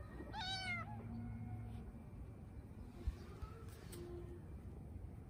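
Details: Bengal cat in hot weather giving one short meow, a rising then falling harmonic-rich cry lasting about half a second, followed by quiet background hum and a few faint clicks.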